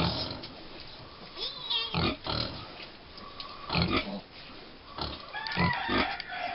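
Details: American Guinea Hog piglets, five weeks old, on Wood Prairie Family Farm, give scattered low grunts broken by a couple of thin, wavering squeals, with a few spoken words in the background.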